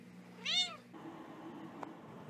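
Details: A flat-faced pet cat gives a single short, arched meow that rises then falls. It is followed by quiet room hum and one faint click.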